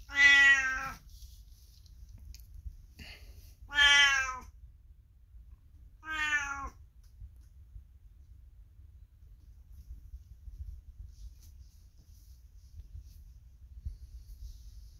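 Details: Aged 22-year-old pet cat indoors calling out as the owner passes by; three loud meows about three seconds apart, the last shorter and quieter, then a long stretch of quiet room.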